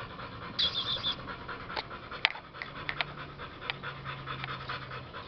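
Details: Kid Rock, a male OG Gottiline American Bully, breathes in fast, rhythmic pants with a few sharper clicks and gulps mixed into the steady breathy pulse.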